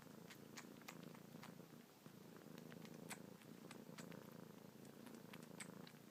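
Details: Suckling on fingertips with kneading paws, kitten Luna keeps up a steady rumbling purr; light wet clicks and smacks recur every fraction of a second across the whole stretch, indoors.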